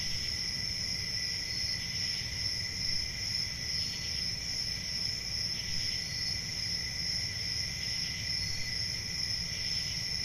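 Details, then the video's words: Forest crickets at night in summer, a ceaseless high shimmering trill with faint rhythmic pulsing, roughly two pulses per second, over a soft low ambient drone. "Relaxing Cricket Sounds For Sleep"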